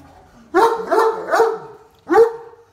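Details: Stuck on a golf cart and wanting to keep riding, a talkative deaf Great Dane gives three quick linked moaning yelps, then one more after a pause, each bending upward then down.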